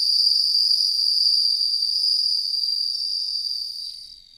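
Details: Bell cricket, known in Japan as suzumushi, sustaining a high, silvery, rapidly pulsing ring that tapers and falls quiet near the end.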